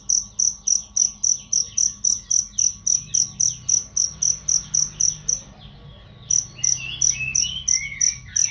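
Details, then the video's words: Training recording of a cricket for songbirds, loud and clear: rapid high chirps repeat steadily, pause for under a second midway, then resume alongside soft twittering bird calls. "masteran jangkrik untuk burung"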